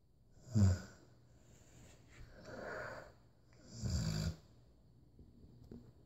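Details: A Rottweiler named Macho snoring indoors: two deep, rough low snores about three seconds apart, with a softer breathy exhale between them, in a quiet small room.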